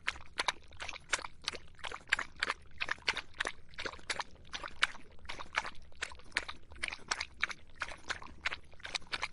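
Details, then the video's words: In the summer heat a dog laps water steadily, each stroke a sharp wet slap, about three per second, sometimes in quick pairs, throughout. "더운 여름 강아지가 목 축일 때 나는 소리 The sound of dogs on their throats in the hot summer"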